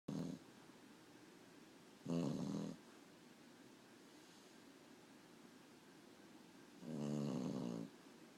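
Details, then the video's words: A sleeping dog snoring indoors; three low rattling snores with pauses of about two to four seconds between them, the last the longest, in otherwise quiet surroundings. "Dog snoring"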